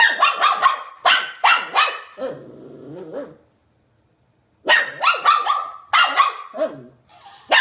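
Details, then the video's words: Shih Tzu from a barking and howling compilation gives rapid high yaps in clusters, broken by a lower drawn-out whining growl, then a silent gap before another burst of sharp barks. "SHIH TZU BARKING - SHIH TZU HOWLING AND BARKING COMPILATION 2016"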